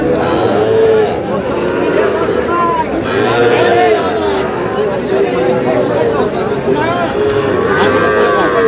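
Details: Sahiwal bull calves, about five to five and a half months old, bought by a farmer in Sylhet on 11 July, give drawn-out, wavering moos that rise and fall, overlapping through steady crowd chatter and people talking.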